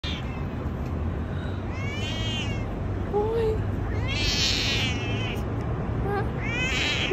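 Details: A big British Shorthair cat in a big city meows three times, drawn-out and wavering, over a steady low city hum.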